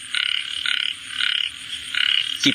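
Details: A frog calling: four short rattling croak bursts roughly every half second, each a fast buzzy trill, with a faint steady hum and a sharp brief click-like sound just before the end.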